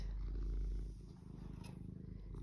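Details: Domestic cat named Eric purring, soft and scrummy, pausing for a wash; a low, steady rumbling purr pulsing rapidly, easing slightly in the second half.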